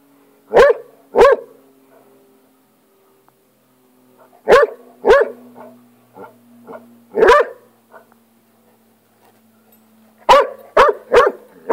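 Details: Hound called Rocky on the attack against a lizard, giving loud sharp barks in pairs and short bursts, a double bark, then more pairs after pauses, ending in a quick run of four, with faint huffing between.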